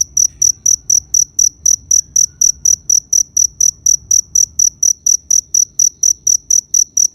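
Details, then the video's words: Long steady run of cricket chirps, about thirty sharp high-pitched pulses spaced evenly at roughly four per second, with a quiet rumbling background. "Cricket Sound Effect"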